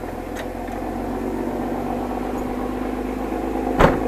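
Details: A steady mechanical engine hum with one brief knock near the end, and no animal sounds.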